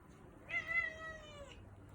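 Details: British Shorthair kitten, tagged as calico, meowing at mealtime indoors: a single drawn-out, clear meow of about one second, steady then slightly falling at the end, over a quiet background hum.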